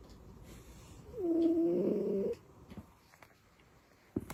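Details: A domestic cat dozing, tucked in like a baby, lets out a single long, wheezy, buzzing snore lasting about a second, followed by soft scattered clicks and rustles.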